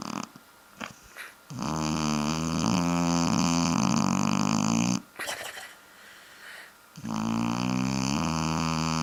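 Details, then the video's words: Freddy, a sleeping Shar-Pei dog indoors, snores in long rumbling harmonic bursts of about three seconds, with a gravelly buzzing tone, separated by short quieter breaths and pauses. "Freddy the Shar-Pei Snoring!"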